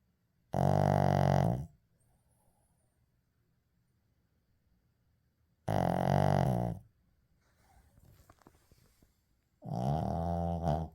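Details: Shih Tzu Uijung asleep, letting out three drawn-out, vibrating snores roughly four to five seconds apart, with faint rustling and soft breathing noises in one gap.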